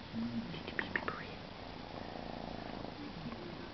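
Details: Siberian kitten purring, about to leave for a new home: a steady low rumbling purr throughout, with a few brief higher squeaks or voice-like sounds near the start.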